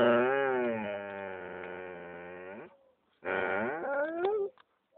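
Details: Female Alaskan Malamute gives a long, low, rumbling growl that swells upward, then a shorter second growl, guarding a new bone she apparently wants all to herself.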